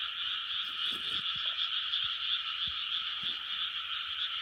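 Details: Many frogs croaking together in a 2020 chorus, steady overlapping trills forming a constant droning band with quick irregular pulses and occasional soft low thumps.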